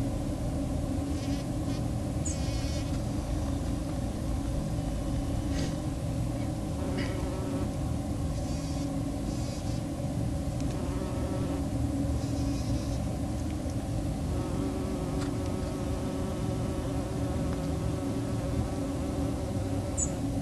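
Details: Buff-tailed bumblebee working an unknown flower at Talamanca, Barcelona, on 2 January 2016; a steady low droning hum runs throughout, with a few faint bird chirps above it.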